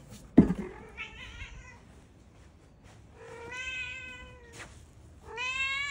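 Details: A cream calico-mix house cat gives a sharp knock, then a short wavering meow followed by two longer, clear, tonal meows that rise and level off in a quiet room.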